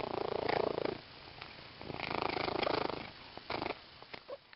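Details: Close-up of a female pet cat purring with her new green fish toy; strong pulsing purr in two long phrases, then quieter, broken purring with small clicks and shuffling.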